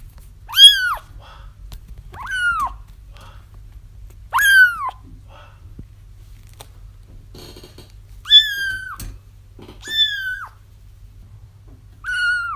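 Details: Young kittens crying for their feral mother, played to help trap her: six loud arched mews, some falling at the end, arriving every one and a half to two seconds above a faint low hum.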